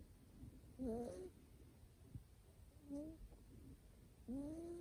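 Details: A sleeping short-haired male Scottish Fold kitten named Nico snores with faint, thin, upward-sliding squeaky tones, three breaths in about five seconds over quiet room hiss.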